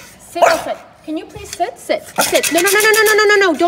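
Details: French Bulldog talking back to its owner during a house move, while being scolded; a drawn-out, wavering whining howl of about a second and a half follows the owner's short spoken words.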